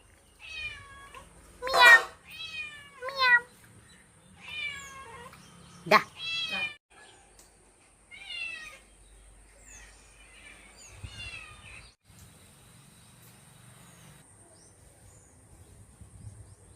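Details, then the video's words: Pet kitten in the evening, talked to by a woman in Telugu; a run of clear, falling meows in the first seven seconds, one loud, then quieter mews and low room noise. "Pilli Babu valachellai tho talks"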